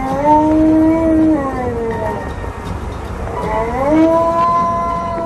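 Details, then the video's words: Alaskan Malamute named Tonka protests being buckled into a car seatbelt with two long, mournful howls, each holding a steady tone before bending upward, over a low road hum. "MAD Malamute! Loudly Protests Wearing A Seatbelt!"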